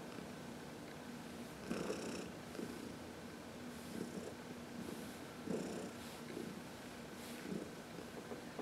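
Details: Heidi, a 14-year-old senior domestic cat adopted from the Humane Society of New York City, purrs contentedly while being massaged in the sun; a low steady rumble with brighter pulses recurring every couple of seconds.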